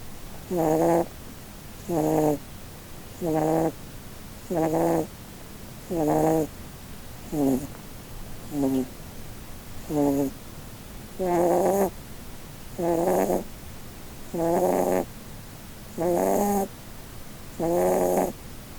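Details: Snoring of Blueberry, a female Holland Lop bunny sleeping under a Christmas tree, a breed said to snore more because of its facial bone structure; nasal, rasping snores repeat steadily about every 1.4 seconds in a quiet room.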